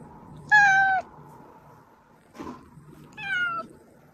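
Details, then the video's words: Pet cat meowing, a recording played to lure hiding cats out: two clear harmonic meows, the first loud and slightly falling, the second softer and descending, separated by a brief rustle in a quiet room. "고양이 부를때 들려주면 쪼르르 /고양이들 유인할때/고양이 울음소리"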